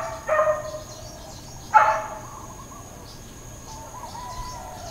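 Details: Dog barking in Hawaiian Paradise Park, Hawaii, on Labor Day, September 2, 2024, part of uncontrolled intermittent barking. Two sharp, loud barks land about one and a half seconds apart over faint bird chirps and a steady background hum.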